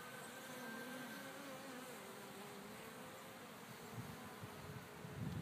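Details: Honey bees flying out from a beehive in a back field on a sunny winter day, December 25, 2014, with temperatures above 55 degrees, making a steady, dense hum with faint droning tones and a light rustle throughout.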